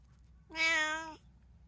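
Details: Domestic cat at home, one of three household cats (tabby, Munchkin and Abyssinian), recorded 5 September 2024; a single clear, steady, harmonic-rich meow lasting under a second, level in pitch, over a quiet indoor background.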